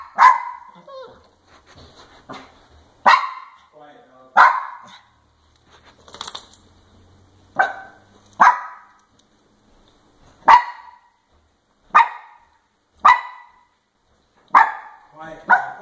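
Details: Papillon Chihuahua at the top of the stairs giving sharp, high barks about once every second or two, some in quick doubles, with a person talking quietly in the background between barks.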